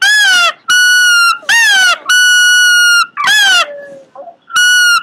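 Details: Cute Pomeranian with weird noises: repeated pairs of a curving squeaky yelp and a flat, drawn-out whistled whine, piercing and harmonic, with a short falling tone and soft snuffle near the end.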